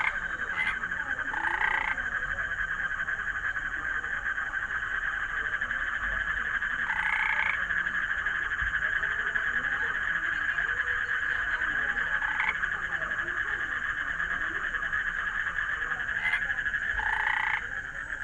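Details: Frog heard against a continuous high-pitched chorus, giving short, louder croaks in clusters about every five seconds, some paired as quick double notes with a slight upward inflection.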